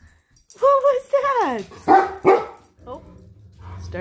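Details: A Great Dane and a Poodle react to something outside, which the owner guesses was a bird or squirrel in the yard. They give a wavering, falling howl, then two sharp, loud barks in quick succession.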